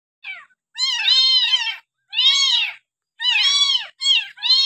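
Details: Abandoned village kitten, found next to the house and now hand-reared with a milk bottle on its sixth day, meowing loudly: four or five clear, harmonic-rich mews of about a second each, evenly spaced, with a person talking afterwards.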